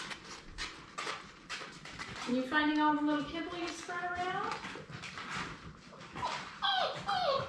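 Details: Six Labrador Retriever puppies, six weeks old, playing together indoors: a drawn-out wavering whine from the middle of the clip, then short sharp yelps near the end, over scuffling thumps and soft background voices.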